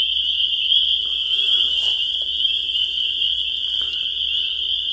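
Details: Spring peeper chorus, a wall of high, bright peeping notes overlapping into an unbroken shrill ring for the whole stretch, with little else audible.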